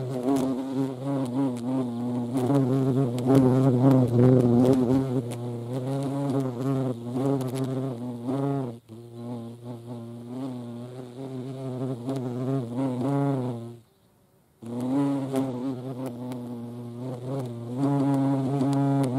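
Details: European hornet (Vespa crabro) in the Eifel buzzing with a deep harmonic drone that rises and falls, fading out briefly twice before resuming at full strength.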